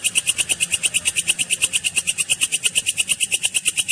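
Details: Walang kecek katydid singing, a clear recording used as a training song for lovebirds: a steady, very high buzzy pulsing trill, about seven pulses per second, unbroken throughout.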